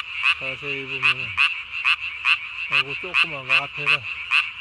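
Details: At night, 3 May 2020, a Japanese tree frog calls with its throat sac inflated as large as its body: loud, clipped notes in an uneven series, interrupted by deeper, drawn-out and downward-sliding croaks of other frogs.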